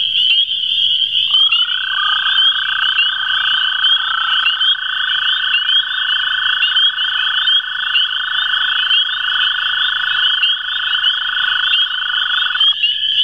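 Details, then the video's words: Long, sustained American toad trill recorded at the CWRU Farm on April 21, 2016, with two toads calling. It starts after about a second and holds one steady pitch for nearly twelve seconds over a continuous high-pitched chirping chorus. "Two American Toads Calling"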